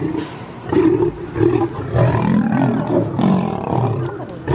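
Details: Two lions fighting: deep, rough growling roars in repeated bursts of about half a second, with throaty low rumbles between them.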